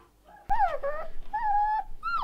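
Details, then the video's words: One-month-old Rottweiler puppy howling: a sharp click, then drawn-out wavering howl notes, a level sustained tone near the middle, and a higher falling whine at the end, over a faint room background. "СТАЯ ЩЕНКОВ РОТВЕЙЛЕРА ВОЕТ"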